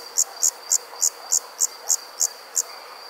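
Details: Crickets chirping at night: a steady series of short, high, bright chirps, about three to four each second, over a faint constant background hiss.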